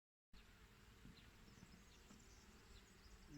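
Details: Italian honey bees (Apis mellifera ligustica, Regine line) at an apiary on 8 April 2020, a steady low humming drone from many bees with faint higher flickers, followed by a man greeting them.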